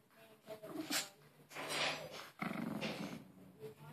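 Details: Harry, a pet Maltese, plays with his new Angry Bird toy and refuses to give it up: rough, noisy growling bursts come in short uneven spurts, with a low rumbling tone underneath, indoors.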